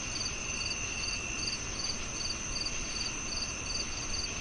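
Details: Insistent cricket chirping, crisp high double pulses about three times a second, layered over an unbroken high insect whine and broad background hiss.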